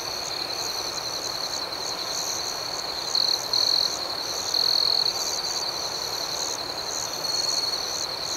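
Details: Night-time cricket chorus, a dense continuous high-pitched trill with faint pulsing overtones, broken by louder bright buzzy stretches around three to five seconds and a weaker one near the end.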